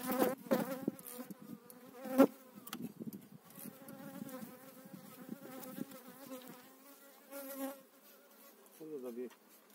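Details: Spring 2018 hive transfer of eight frames of honey bees: loud, tonal buzzing of bees flying close, steady and droning with swells and dips, broken by a few clicks of frames being handled.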